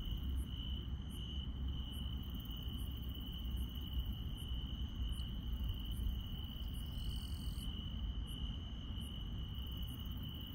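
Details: Rural night chorus of insects: one sustained high whining trill never stops, while quick high ticks recur at a regular pace of about one every 0.7 seconds and a short buzzy burst appears midway, above low droning noise.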